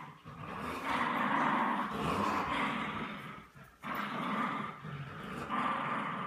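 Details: During a tug-of-war game between a French Bulldog and a Bichon Frise, long sustained rumbling growls, rough and throaty, broken by one short pause midway before resuming.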